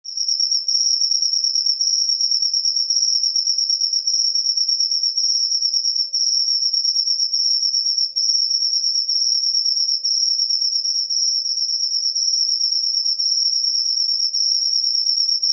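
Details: Cricket calling after rain: a steady, high, shrill trill held without a break for the whole stretch, finely pulsed, with no other sounds.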